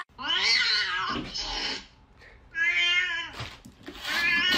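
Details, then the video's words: Domestic cat from a compilation of cats slapping humans, giving a series of harmonic meows, the first rising and falling, then a longer steady meow, with brief gaps between calls. "Cats slap humans compilation video 2023"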